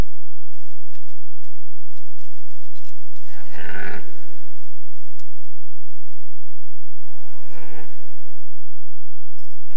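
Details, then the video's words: Red deer stag during the 2023 rut, a deep hoarse roar around the middle, then a second shorter groaning roar later, over a steady low hum. "Boncanit cerb 2023"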